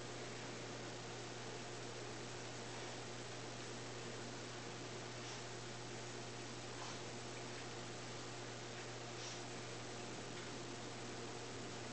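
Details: Constant indoor fan-like hiss with a low electrical hum, and no animal voice heard.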